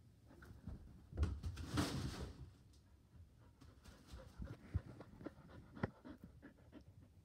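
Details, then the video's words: Border Collie at home on the couch wanting its ball, breathing in rapid raspy pants, with a strong burst near two seconds and lighter clicks and huffs afterward. "Life with a Border Collie- GOGOGO! BALLBALLBALL!"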